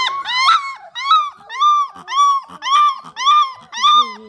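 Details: A 3.5-week-old female bluetick coonhound puppy howls back to her siblings indoors: eight rising-then-falling howls, each roughly half a second and repeated about twice a second, with a person talking softly between them.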